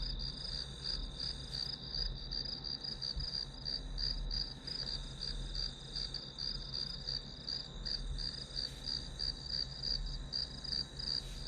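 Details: Grass-insect chorus: bright, regularly pulsed high chirps around three a second ride on a steady ringing tone, with low background hum underneath.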